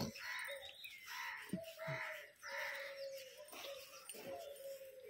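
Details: German Shepherd puppy during training whimpering: drawn-out, steady high whines, several in a row, the longest holding for about a second. Harsh cawing crows and chirping birds sound loudly over and between them.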